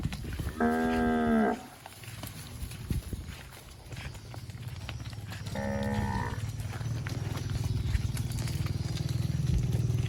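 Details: Plump cow grazing in scrubby bushes moos twice: a full drawn-out low call near the start and a shorter one about five seconds later, with rustling and a steady low hum between.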